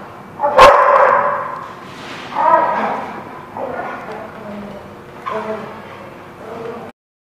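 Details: Dog barking, recorded on 19 December 2016: one sharp loud bark, then several shorter, rougher barks and yips spread over about seven seconds, with voices in the background.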